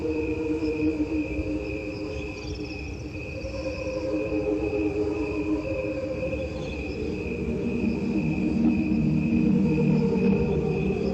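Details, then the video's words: God's cricket chorus, a 1992 recording built only from cricket sounds: continuous overlapping chirping with steady tonal bands, a rapid pulsing texture that swells slightly louder toward the end. "now let's take a listen to this recording of crickets that Jim Wilson and David Carson did in 1992"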